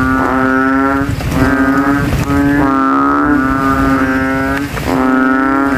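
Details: Banded bullfrogs calling from a rainwater puddle in a cemetery at night after rain, throats inflated, rivals competing to be loudest; deep droning nasal notes about a second long overlap almost continuously, several frogs together, with faint background rumble.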